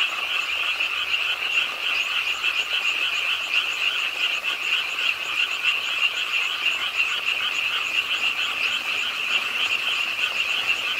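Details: Rainy late night at the pond of Ingye Art Park in Suwon, where frogs began croaking as rain fell. A thick, unbroken chorus of shrill pulsing trills holds steady throughout, with light background noise.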